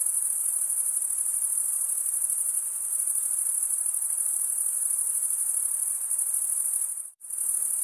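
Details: Summer night chorus of crickets in a forest, an unbroken shrill high trill of fast pulses that cuts out abruptly for a split second near the end, then resumes at the same level.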